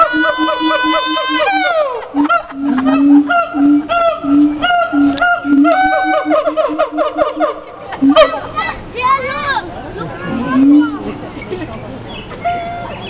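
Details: Siamang vocalizing: a long, high, whistled note that swoops downward, then a rapid run of ringing, harmonic notes with low, booming tones, followed by scattered rising whoops.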